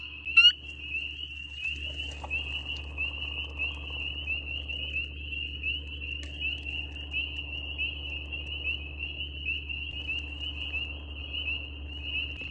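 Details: A dense night chorus of spring peepers (Pseudacris crucifer), small chorus frogs, calling in spring; their high piping peeps overlap into a steady, shimmering band of sound.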